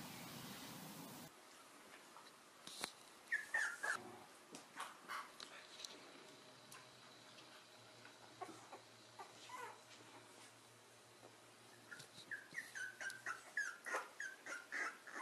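A corgi gives short, high whimpering yips in quick bursts, with clicks and knocks between them.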